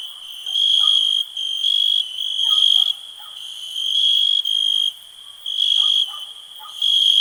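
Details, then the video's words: Crickets giving a piercing, even, high-pitched trill in long bursts of roughly a second, broken by brief gaps, with a few faint lower chirps underneath. "cricket relax"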